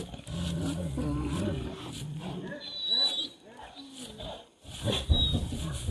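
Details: Street dogs fighting over a female: deep, rumbling growls with shifting pitch fill the first half, then fade into quieter snarling and a few sharp higher accents near the end.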